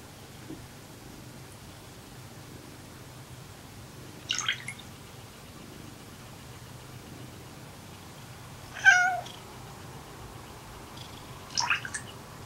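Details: Pet cats quarrelling, with one cat swatted, apparently for hogging a game; three short, strained meow-like cries rise and fall at roughly four-second intervals over a quiet indoor background.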